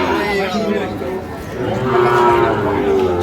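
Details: Sahiwal bull calves at the Ambari cattle market on 12 May 2025, where Cumilla farmers are buying. A steady, drawn-out low moo swells in the second half over constant crowd chatter and nearby voices.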